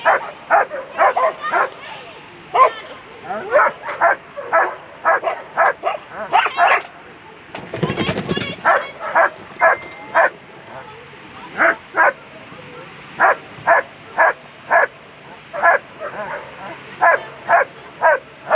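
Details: German Shepherd at a world championship agility run, A2 class on a Sunday: sharp, rapid barks repeated about twice a second throughout, briefly broken by a burst of noise midway, with a person's voice calling over the barking.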